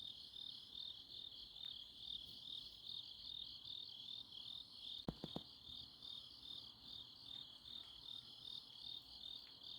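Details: Grass insects on an autumn night in Chuncheon, South Korea: a steady high chirping chorus, rapid pulsed trilling repeated continuously, with a brief sharp clicking knock midway.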